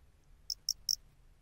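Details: In the lowland plains of western Japan, a Japanese burrowing cricket sings three short, high, ringing chirps in quick succession.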